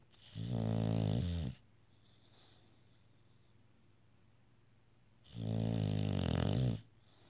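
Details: Bulldog asleep indoors, making two loud, harsh snores of over a second each, about four seconds apart, with a deep buzzing rattle and near silence between them.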